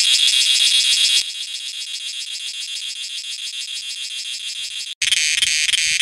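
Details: A piercing cicada drone, strongly pulsed and buzzing, drops to a softer but steady throbbing after about a second. A brief silent cut comes near five seconds, then the loud shrill buzz resumes.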